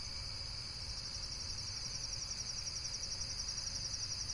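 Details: Rapid, evenly pulsed high insect trill that grows slightly stronger toward the end, set against a low steady hum.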